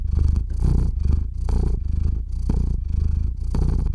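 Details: Purring of Theo the cat, falling asleep beside a RODE NTG-3 microphone feeding a Zoom H6 recorder: a throaty, buzzing drone rising and falling with his breathing, roughly one cycle per second.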